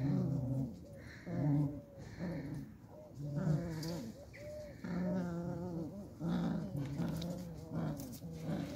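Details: Beagle mother playing tug-of-war with her puppies, low rumbling growls in repeated bursts of about a second, with higher whiny yips and tonal squeals layered over them.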